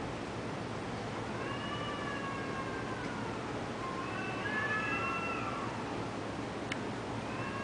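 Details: Taiwanese cats fighting, giving drawn-out wavering yowls: a long wail, a short pause, then two more rising-and-falling howls overlapping one another, with a steady hiss and a sharp click behind.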